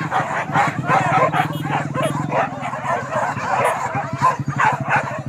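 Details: Hunting dogs chasing wild boar at Kayu Ampek, Tanjung Emas district, Tanah Datar regency: a dense pack chorus of overlapping barks and yelps, with a steady low droning hum running under the first half and voices mixed in.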